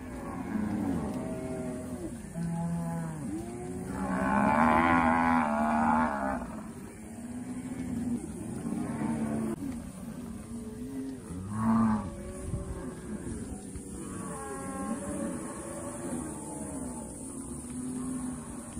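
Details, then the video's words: Cows grazing on open pasture, mooing over and over: low, drawn-out bellows that overlap from several animals, some rising into a strained, higher, harmonic-rich moo, with steady outdoor background hiss. "Mooing Melodies: Calming Cow Grazing Scenes"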